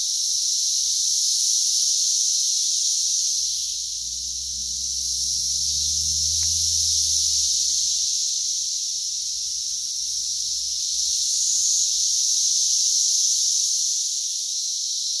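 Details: Brood X periodical cicadas massed in June 2021 in West Virginia, crawling everywhere, about 85 dB: a dense, steady high-pitched droning hiss with slow swells in loudness, and a faint low rumble partway through.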